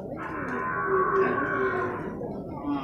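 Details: Young male water buffalo at a livestock market in Purwakarta, Indonesia, gives one drawn-out, moaning bellow of nearly two seconds, rich in overtones and steady in pitch, while people talk in the background.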